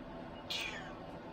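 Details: Domestic cat giving a single short, high meow that slides downward, quiet against a steady background hiss.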